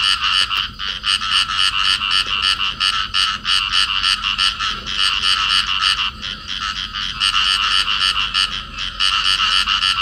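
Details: A pair of field frogs in amplexus in Cầu Kè, Vietnam, give a fast, rattling series of bright, raspy croaks.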